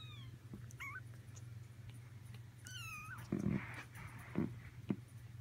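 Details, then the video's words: Almost four-week-old Persian kittens: two high, wavering mews a couple of seconds apart, followed by soft rustling thumps over a constant low hum. "Persian Kittens"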